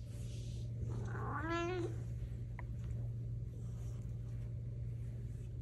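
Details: House cat indoors uttering a single short meow that rises and dips with strong harmonics, followed by a faint click, over a constant low electrical hum.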